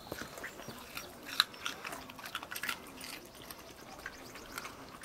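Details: Pet dogs eating carrots, crunching at close range in a small quiet room: crisp, irregular bites and snaps come every fraction of a second, with one sharp loud crack near the middle and steady gnawing between.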